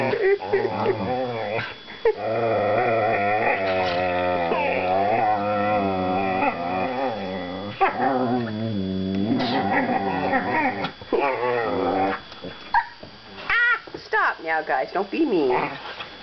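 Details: Play growling from two young whippets mouth wrestling: long, rich, rumbling growls with wavering pitch held for several seconds, then choppy bursts of grumbles and squeaky whines; a person speaks briefly.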